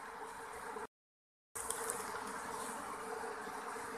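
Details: Asian honey bees (Apis cerana) in a hollow log during a colony transfer: a continuous loud buzzing hum with a strong steady tone, interrupted by a short gap, with faint crackles over the top.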